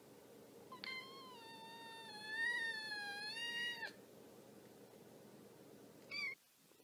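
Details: Kitten in a compilation of playful kittens gives one long, steady, drawn-out meow lasting about three seconds, then a brief short mew after a pause, over a quiet indoor background.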